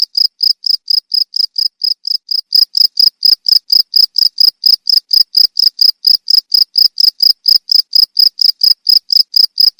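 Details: Cricket chirping, presented as a rat repellent; shrill high pulses repeated steadily around twice a second, growing slightly louder after the first few seconds, nothing else audible.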